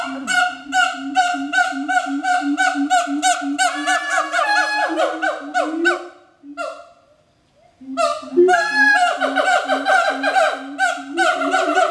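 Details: A captive pair of siamangs (Symphalangus syndactylus) duet at Schmutzer Primate Center, Jakarta, on 20 April 2012 at 11:32 AM, with loud, rhythmic, honking barks in rapid series and a brief pause midway.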